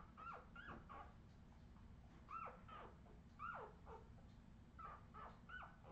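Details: Australian Terrier puppies recorded in 2018 keep up a chorus of hooked, squeaky whines, each rising quickly then sliding down, coming in small clusters of two or three over a low, constant hum.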